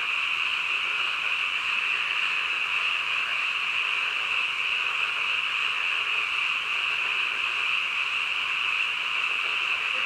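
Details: Nighttime croaking of many frogs forms a constant wall of sound, a bright sustained tone over a softer wash. It goes on without breaks or distinct individual calls.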